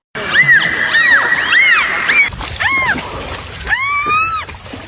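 A dolphin gives a quick series of high, arching whistles that rise and fall, with bright overtones.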